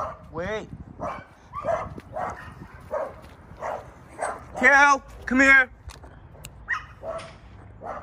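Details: A Maltese x Chihuahua facing a mastiff lets out shrill, high-pitched barks and a few drawn-out, strained yelps, about one or two each second, while a person talks over the noise.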